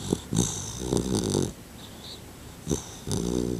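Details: A male Labrador Retriever puppy, two months old, snores deeply in his sleep. Loud, buzzing, grumbly snore bursts come in bunches with short quiet gaps and a faint squeak near the middle.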